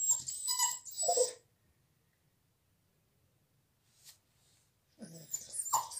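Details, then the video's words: Whimpering from Bella, a dog shut out of the salon during a visit, sounds in two short bursts of high, breathy whines separated by a long quiet stretch, with a soft click midway. "A DOG CRYING"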